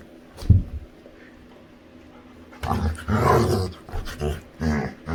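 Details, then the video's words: Playful female Labrador retriever with her owner: a thump, a quiet pause, then a burst of deep rumbling growls mixed with a person's voice and laughter. "Cutest Dog Makes Funny Sounds While Playing | Funny Lab Dog"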